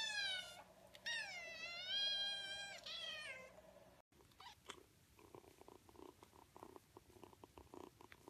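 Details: Kittens meowing: a long wavering, strongly harmonic meow fills the first half, then a break followed by scattered soft clicks, taps and rustling noises.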